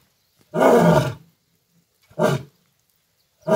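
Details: Roadside lion near Kukdeshwar Mahadev temple, Udaipur, Rajasthan, roaring in short, rough, gravelly bursts: one long blast followed by a shorter one and the start of a third, with quiet gaps between them.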